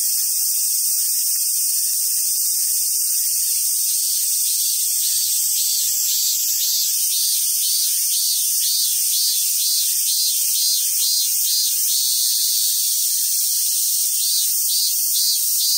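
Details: Summer cicadas at a monkey park in Sumoto, Hyogo, Japan: a steady high hiss overlaid by a pulsing buzzy trill beating about twice a second, with faint low rustles.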